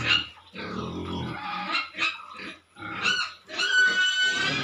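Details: Pigs at Nikunja Piggery, a string of squeals and coarse grunts in bursts about a second long, separated by short pauses, some calls rising into a shrill harmonic whine.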